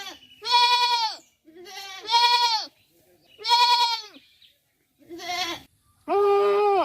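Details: Farm goat giving a run of wavering bleats, five in under seven seconds, varying in length and pitch, the last one longer and steadier, with quiet gaps between calls.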